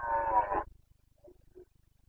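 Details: Breeding-season stag of the Carpathians, Bucovina, Romania, September 2022: a single brief, coarse roar with stacked harmonics, followed by two soft low grunts and quiet pulsing.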